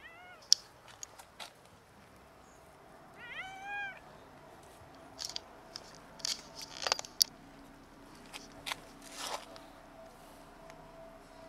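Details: Cats from a large colony of eight starving cats competing over cat food; one clear harmonic meow around three to four seconds, amid scattered clicks and clatter of eating and feeding noise.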